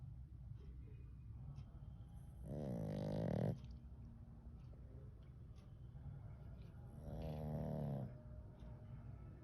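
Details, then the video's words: Sleeping pug dog snoring: two long, rasping, buzzy snores, each about a second, spaced roughly four and a half seconds apart, with quiet breathing and a steady low background hum between them. "My cute little snorer | Snoring 💤 💤 Pug | Sleeping Pug"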